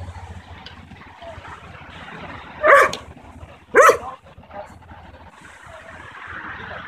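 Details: Two loud barks about a second apart from a 9-month-old Belgian Malinois barking on command in training, with faint background noise and soft distant voices between them.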